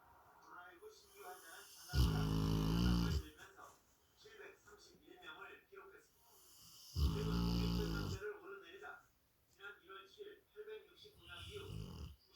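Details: A sleeping Rottweiler, snoring alongside a Labrador Retriever, snores in deep, rumbling bursts roughly every five seconds.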